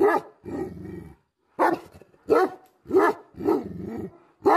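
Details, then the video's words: Tibetan Mastiff (Bhote Kukur), angry, alternates heavy barks with low, rumbling growls held for up to a second, in an uneven rhythm. "Angry dogs barking effect sound ||Tibetan Mastiff || Bhote Kukur"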